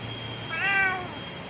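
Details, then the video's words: Domestic cat meowing from outside a window while being called indoors; a single clear meow about half a second long, rising slightly then falling, with a faint steady tone in the background. "Cat Meowing Video"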